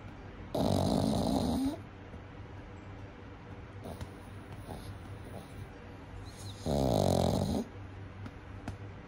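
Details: Baby pug napping indoors, snoring in two long, rasping breaths about six seconds apart, each lasting around a second with a buzzy rattle, quiet steady room hum between them.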